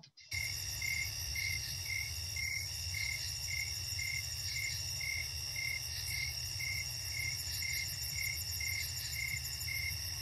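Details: Snowy tree cricket, Chicago region, gives steady, rhythmic chirps on one pure dominant pitch, about two each second, a calm nighttime sound.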